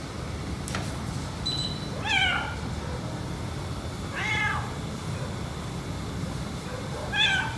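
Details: A white house cat, jealous as the black cat gets petted, gives three short, plaintive meows spaced about two seconds apart, each with a quick upward bend, over a steady low room hum.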